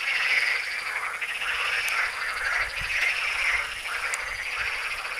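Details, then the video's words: Chorus of frogs at the Tyre Necropolis, Lebanon, a steady wall of fast, grating croaks pulsing in waves, with a few sharp clicks heard above the calling. "FROGS, TYRE NECROPOLIS, LEBANON"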